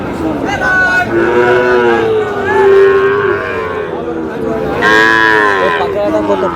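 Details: Sahiwal bull calves being bought and sold at Aftabganj market, Dinajpur, Bangladesh, as trading opens on 8 August: long, loud, tonal moos with a gliding pitch, one after another, above a murmur of market crowd and talk.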